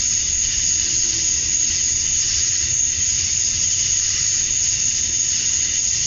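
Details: Cicadas singing at dusk on a summer evening in Georgia, USA, males chirping to attract females: a constant, piercing buzzy wall of sound, steady and unvarying from start to finish.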